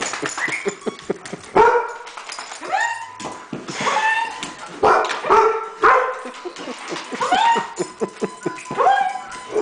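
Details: Weimaraner flipping out over guitar sounds, barking excitedly; rapid run of loud, strained barks and yelps, roughly every half to one second, some rising into whining yips, with clattering in the background.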